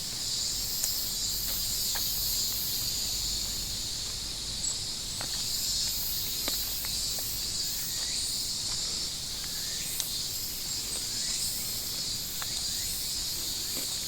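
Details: Continuous high-pitched cicada buzzing with a softly pulsing, layered drone, joined by scattered faint clicks and chirps from other small creatures in an outdoor setting.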